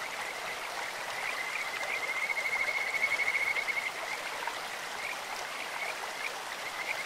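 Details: Kajika frogs calling in a clear stream: a high, sweet trill holding steady pitch, rising in loudness around the middle and fading after about two seconds, with faint repeated notes before and after over constant rushing water.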